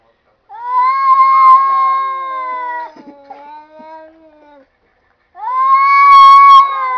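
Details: Talking cats giving two prolonged, even meows. The first holds level, then drops into a lower, fading groan. After a short silence a second loud, sustained meow follows.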